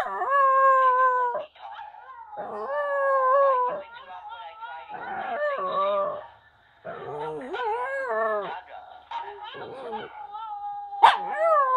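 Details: Dog crying out sadly, several drawn-out howls and quavering, wobbling whines in bursts of one to two seconds, with short gaps between and a sharp yelp near the end.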